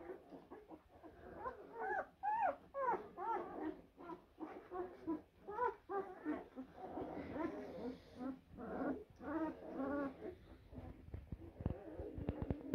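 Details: A group of blue Great Dane puppies, born April 2023, squeal and whine in overlapping bursts, rapid short whimpers tumbling over one another with some louder arching cries, against a steady noisy background.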